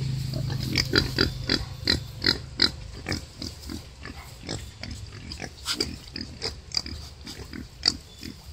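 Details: Wild boar sow giving birth to five piglets; a rapid series of short, harsh broadband grunts and squeaks, roughly two to three per second and irregularly spaced, over a low rumble at the start.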